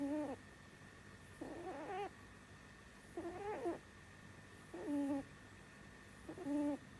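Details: Sleeping female pet bunny named Sumi, a lifelong snorer; five squeaky, warbling nasal tones, some sliding upward, each lasting about half a second and spaced with the slow rhythm of breathing, against a faint constant electrical hum.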